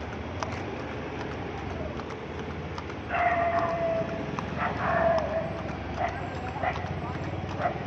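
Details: Horse moving quickly along a road, steady clip-clop hoofbeats throughout, with a person talking over them in the middle and a low rumble underneath.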